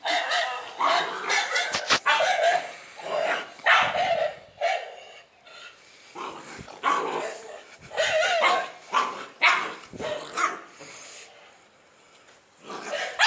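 A dog barks in quick, sharp bursts with short pauses between the volleys.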